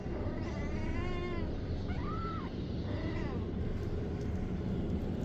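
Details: Three separate arched meows from a kitten rescued off the street and kept as a pet, each rising then falling in pitch, the middle one clearest, heard over constant rumbling background noise.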